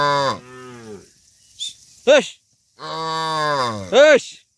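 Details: Dozens of tame cattle being herded back to their farm pen give loud moos: two long, low, drawn-out moos, each followed by a short, higher call that rises and falls. There is a brief pause between the pairs.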